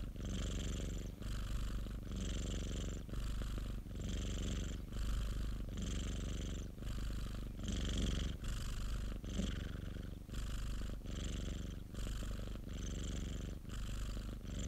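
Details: Popo, a domestic pet cat, purring contentedly in an unbroken rhythmic drone; a dozen even breath phases in under fifteen seconds, each beginning with a short pause and a hissy edge over the low rumble.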